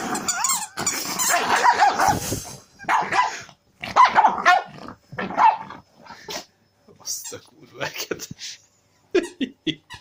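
A Pekingese snarls and yaps in rough, bursty outbursts while playing, with a person's voice nearby.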